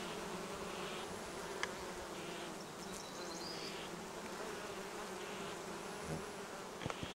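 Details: Many honey bees feed on acacia and other plants beside the Cernavodă–Medgidia motorway in Romania, buzzing together in a steady, low, droning hum that hardly changes in pitch.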